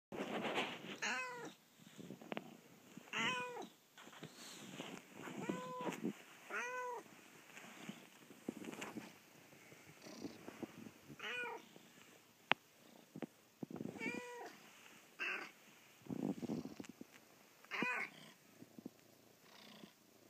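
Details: Penelope, a pet cat, whines to wake her owners in the bedroom at first sunlight in the morning; rising-falling harmonic meows repeat about every two seconds, with quieter rustling between them.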